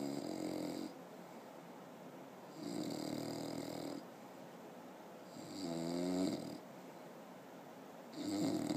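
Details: Rocky Bullboa, a six-month-old English bulldog, snoring while asleep indoors: four loud, rough snores, each about a second long and spaced roughly two seconds apart, with quieter breaths between.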